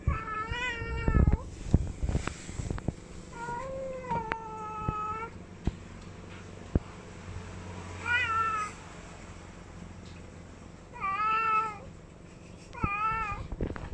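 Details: Domestic cat calling repeatedly with five drawn-out meows, each a harmonic wail that holds steady then dips, spaced irregularly across the recording, with occasional knocks and low hum underneath.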